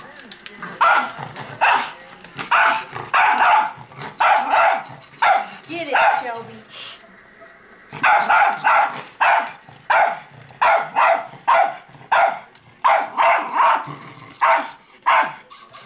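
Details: Shelby, a pet dog, goes wild over a switched-on robot dog, giving short sharp barks in steady bursts roughly every half second to second, with a brief pause mid-way before the barking resumes.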